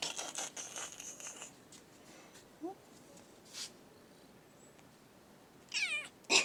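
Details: Pet cat indoors giving a short, clear meow with stacked harmonics near the end, falling and rising slightly, after stretches of soft rustling, a faint brief squeak and bursts of broadband hissy noise.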